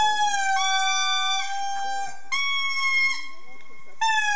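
An indri sings long, wailing notes, each held steady before stepping to a new pitch.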